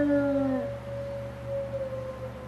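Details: Grizzer, a gray wolf in an enclosure, gives a long, mournful howl that drops briefly then holds level, over a low steady hum, facing the gate to the retired pack's enclosure as staff leave, in cold late-March snow.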